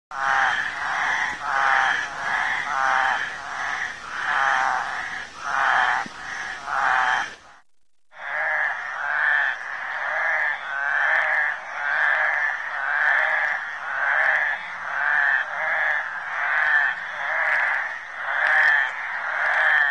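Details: Flat-backed toads at a suburban creek in Lusaka, Zambia, during their mating ritual: a dense chorus of rapid, pulsed, nasal calls packed closely together, with a brief silent break near the middle before the chorus resumes.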